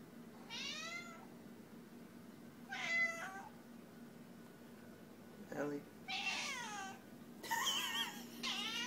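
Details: Domestic cat meowing indoors: several drawn-out, harmonic meows rising then falling, each about half a second, with short pauses between, over a steady low hum.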